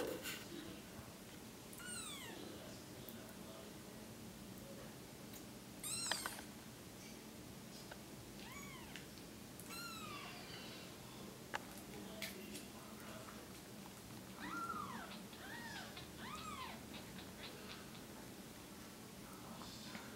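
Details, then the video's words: Tiny five-day-old female Bengal kitten with suspected cerebellar hypoplasia, helped by her mother; repeated thin high-pitched arched mews, about ten in twenty seconds, with rustling and faint room hum. "Newborn kitten with Cerebellar Hypoplasia"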